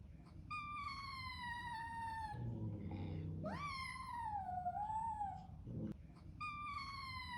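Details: A newly arrived Bengal kitten cries as hard as it can while standing up to a huge, hissing resident cat indoors. Its long, clear meows fall in pitch, and one rises then dips, with low rumbling sounds between the cries.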